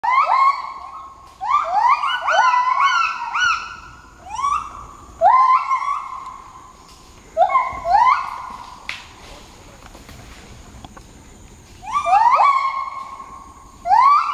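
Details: A gibbon group gives loud alarm calls, runs of rising, sliding whoops in quick bursts, in response to red langurs loud-calling in their territory. The youngest gibbon practises his own calls.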